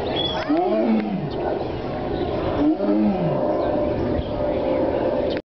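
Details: Tiger in a zoo: two short, low, rasping moans about two seconds apart, followed by steady background rumble before ending abruptly.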